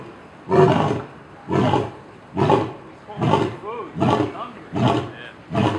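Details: Lion at the Cincinnati Zoo, loud, giving a series of short deep grunting bellows, about seven in six seconds, evenly spaced less than a second apart.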